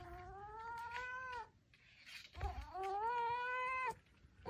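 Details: Domestic cat giving two drawn-out, mewing meows, each about a second and a half long, steady in pitch with a slight rise and fall. A short quiet gap separates them, with faint indoor background noise.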